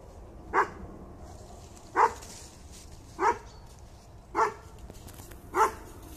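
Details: Bracco Italiano dog of the Del Cuore di Leonessa kennel barking: five short, sharp barks roughly every 1.2 seconds over a quiet background.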